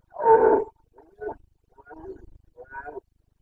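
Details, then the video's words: Carpathian red deer stag roaring during the breeding season (boncănit) in Bucovina, Romania, on 29 September 2022. One loud, harsh, deep bellow lasts about half a second, followed by three quieter, broken grunting calls. "Boncănit / Carpathian stag Breeding season"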